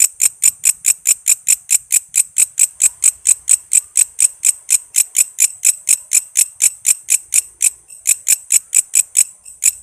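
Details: Walang kece katydid, recorded as a tutor for cage songbirds: crisp, high-pitched pulses repeated roughly twice per second in a steady ratcheting series, with one brief stumble near the end.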